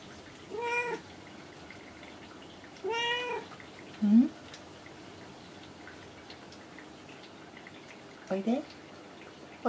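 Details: Domestic cat, often perched on shelves or a cage top, answering its owner's voice indoors: two short harmonic meows about two seconds apart, then brief chirping sounds, with a woman's soft speech between calls.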